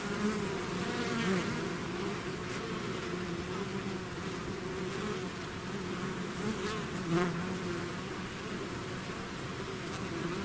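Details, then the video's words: Bees swarming out of the hive fill the air with a steady multi-toned hum, punctuated by a few close fly-bys where single bees buzz louder for a moment. "bees therapy swarm natural buzzing sound"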